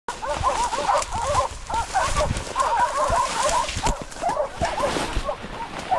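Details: Hunting dogs during a driven wild boar hunt in Sicily, several giving continuous, overlapping high yelping barks in quick succession with no pause, a pack chorus against outdoor background noise.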